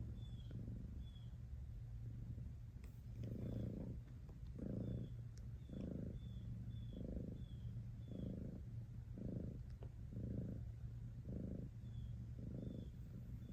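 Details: Cat's purr as a deep, even rumble with breath-paced pulses about once a second, accompanied by faint high chirping and a few soft clicks in the background.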